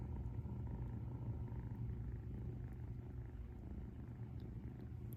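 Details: Close, deep purring from Ūtan, a relaxed female rescue cat lying as if beside a sleeper; a continuous low buzzing rumble with soft, uneven swells in loudness.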